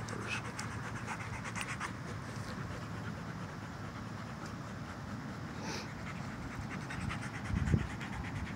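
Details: Tired Doberman puppies breathing hard, a continuous rough panting hiss with rhythmic pulses, low-level throughout, and a brief thump close to the end.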